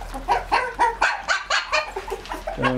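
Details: Shih Tzu puppies at feeding time in the evening, raised on raw meat, bone and fat, give a quick run of about nine high, whining yelps, roughly four each second, some sliding downward, with a lower voice briefly at the end.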